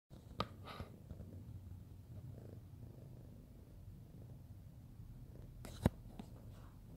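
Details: Fluffy pet cat purring while being cuddled: a soft, continuous low rumble throbbing steadily throughout, with a few brief clicks and rustles of handling.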